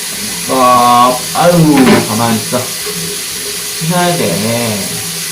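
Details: Soso, a male black-and-white Korean shorthair cat born in 2020 and rescued as a stray, protests loudly while being bathed indoors; drawn-out harmonic meows rise and fall over steady running-tap water.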